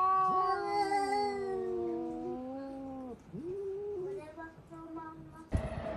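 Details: Indoor domestic cat yowling at an outside cat: a long, slightly wavering wail gliding downward for three seconds, followed by shorter strained cries and a sudden bump or knock near the end.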